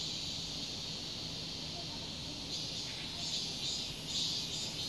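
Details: Cicadas in a residential complex in summer fill the air with a loud, steady, high-pitched buzzing drone.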